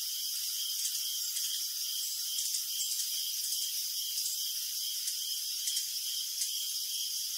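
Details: Crickets chirping at night: a dense, unbroken high-pitched chorus of steady shrill trills in layered bands, with faint scattered ticks and brief brighter chirps standing out now and then, and no other sounds.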